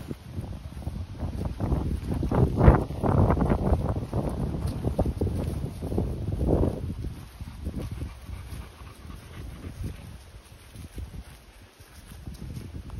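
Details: Continental Bulldogs at home, young female Rita, 10 months old, with 2-month-old puppy Sumo. One dog pants in quick, noisy, low huffs, strongest in the first seven seconds, then fading into quieter breathing and rustling.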